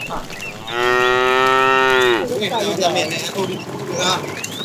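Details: In the afternoon, a fat cow from a tame herd being herded calls the female with one sustained, steady moo that drops in pitch at the end, followed by faint bird chirps.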